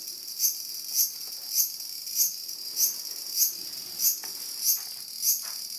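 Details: Cicada confronted by two whippets waiting to attack it, producing a steady high, hissing buzz that swells into sharp pulses about every 0.6 seconds.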